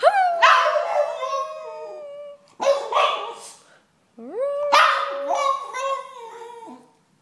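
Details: Boston terrier. A Boston terrier makes odd, talkative yowls in three bursts, each starting abruptly and then sliding and wobbling in pitch. The rough, moaning tone sits somewhere between a bark and a howl.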